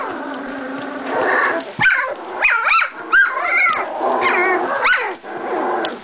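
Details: Litter of 2.5-week-old Doberman puppies beginning to play and bark at each other; a steady low growling murmur broken by several sharp arching yelps and squeaky barks, some bursts stacked with bright harmonics.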